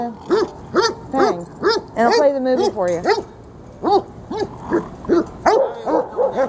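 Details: Freddie and Miley, two dogs playing tug of war at Lakewood dog park, give a steady run of short, arched barks about every half second, one brief whining stretch in the middle, and a person's voice faintly mixed in.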